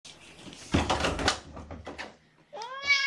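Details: A domestic cat in the Purrfect Pals foster room, home to mother Seraphina and her four shelter kittens from Lewis County, Washington, gives one clear arched, harmonic meow near the end, after a burst of clattering knocks and bumps.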